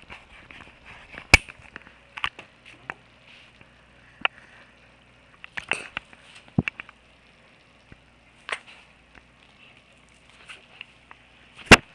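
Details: Sharp scattered clicks and taps over a faint steady indoor hum, with no animal voice heard.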